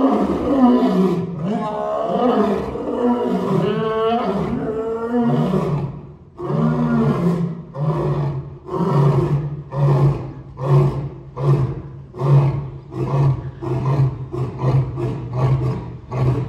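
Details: Two African lions roar: a few long moaning roars, then a run of short, deep grunts that fade away.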